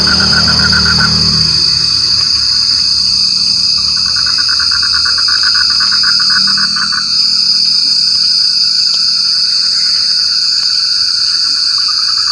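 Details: In the rain, a frog starts with a brief croaking burst, then gives a sustained run of rapid pulsed notes lasting a few seconds before fading out. A loud, unbroken insect drone dominates the rest.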